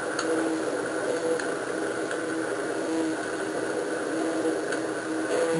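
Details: An oyster toadfish calls for a mate with a low, grumbling, horn-like, saw-like buzz made by internal muscles working its swim bladder.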